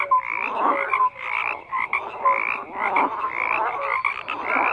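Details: Croaking frogs in a thick chorus, with harsh pulsed calls rising and falling in waves about once a second and short whistled notes cutting through.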